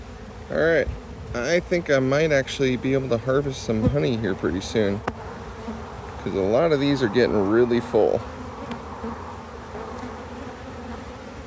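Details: Honey bees buzzing around a hive during harvest. Low droning hums swell and fade as individual bees pass close, in bursts through the first eight seconds, then a quieter steady background hum.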